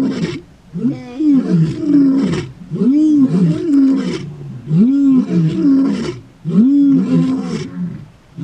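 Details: Gomondwane male lions, a coalition in Kruger National Park, wild; a loud roaring sequence of deep, arched grunts, four paired bursts about two seconds apart, each rising then falling, with faint murmuring of people.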